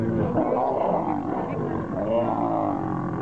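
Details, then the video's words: Two wild male lions fighting to become king: dense, rough growling fills the low and middle range throughout, steady and loud, with no clear pauses between snarls. "Two Lions Fighting to became King"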